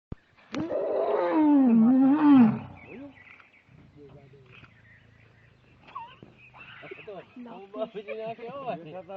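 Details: Two Asiatic lions fighting at Sasan Gir, one lion jumping over the other: a loud, harsh, snarling roar rich in harmonics lasts about two seconds, followed by quieter stretches and people talking nearby.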